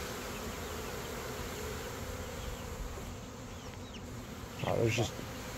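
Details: Western honey bees, a swarm of an estimated 15,000 to 20,000 with their queen, being shaken into a box during capture and relocation to a new hive; steady low droning hum throughout, with a brief louder knock near the end.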